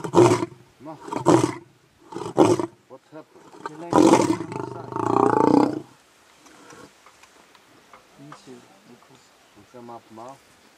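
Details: Lion roaring in several rough, forceful bursts, followed by a long, drawn-out roar. Quieter, softer grunting sounds trail off afterwards.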